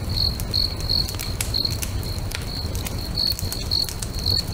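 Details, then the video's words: Crickets sing at a lake at sunset, their piercing chirps coming about twice a second, some slightly fainter, against the bright cracks and soft hiss of a burning bonfire. "FIRE & CRICKETS AMBIENCE"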